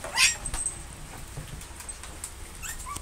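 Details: Shih Tzu dogs at play, including Ariel and Jinx, with one giving a high, thin whine at the start and short rising whimpers near the end, amid soft pattering and a steady high hiss.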